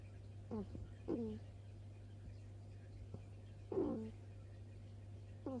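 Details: Baby hedgehog, a newcomer, snoring at night with a soft repeated 'ku-ku-ku'. Short, squeaky, falling notes come in separate bursts, about four across six seconds, over a steady low hum.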